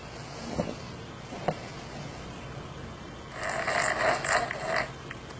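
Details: Dog snoring, an animal shown surprised on hearing its own snore: a quiet stretch with a few soft clicks, then a loud, rasping, rattling snore of about one and a half seconds with pulsing texture.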